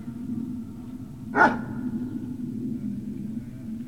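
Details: One abrupt, loud bark from Great Dane puppies at Puppy Hill on 18 November 2018, shortly after 13:40, standing alone against a constant low hum, with nothing else following.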